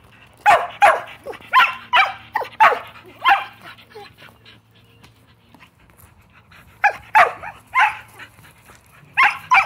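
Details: Pet Shelties demanding a game of ball give loud, sharp barks in quick runs of three to five, a quiet gap in the middle, then more barking; a low steady hum sits underneath.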